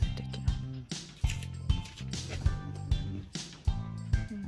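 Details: Bouncy background music with sharp percussive beats and light clicks; no animal voice is heard.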